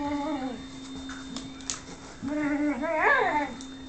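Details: Lux, a whippet, whimpering for Sophia's affection while she plays hard to get, indoors: a short high whine that slides down, then a longer wavering whine rising and falling around 2.3–3.5 seconds, over a steady electrical hum.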